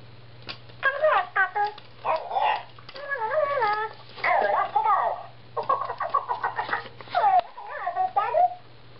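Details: Diesel the husky playing fetch with a talking ball toy indoors, giving a string of wavering, yodel-like vocal sounds that bend up and down in pitch, in short bursts with brief pauses, against a steady low hum.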